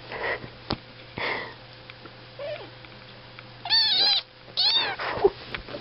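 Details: Kittens indoors giving short meows: a few faint squeaks early, then two strong, bright mews near the end, each rising then dropping in pitch, over a low constant hum.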